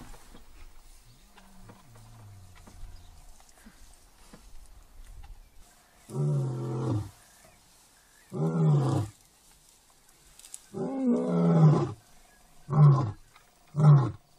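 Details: Lion in an African national park: after a quiet start with a faint low moan, a series of deep, throaty roaring grunts begins at about six seconds, five bursts spaced one to two seconds apart, growing shorter toward the end.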